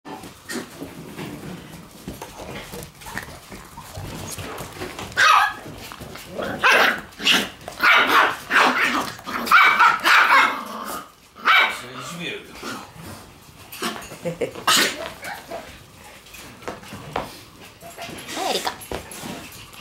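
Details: Shiba Inu puppies in a lively puppy room, sharp high barks and yips bursting out in irregular clusters, loudest in the middle, with faint background noise between calls.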